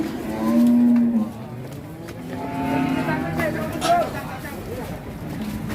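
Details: Raging cattle from an Indonesian cattle-keeping compilation: a loud, drawn-out low moo in the first second, then a second, softer, wavering bellow around the third second, with background noise throughout.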